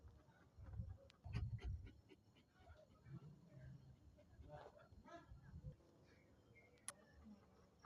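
A German Shepherd gives a few deep, muffled barks in short bursts.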